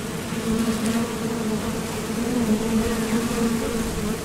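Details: Honeybees at the mouth of a Top Bar Hive, flying out to the field for nectar and landing back; a close, low, buzzing drone whose pitch wobbles gently as bees pass, with an overtone above.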